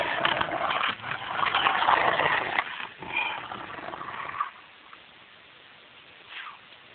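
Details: Two Rottweilers playing make loud, harsh, rasping play growls and grunting bursts for several seconds, then near silence broken by a short, thin whine near the end.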